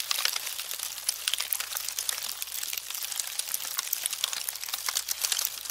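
Termites make a dense, continuous crackle of tiny dry clicks and rustles, like paper being crumpled, with a faint low hum underneath.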